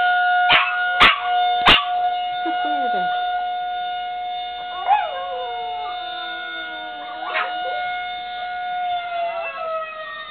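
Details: Two pet dogs, Puka and Bartok, howl in response to the town horn blown every Monday at 1:15. Wavering, sliding howls rise and fall over a steady, loud droning horn tone, with a few sharp knocks at the start.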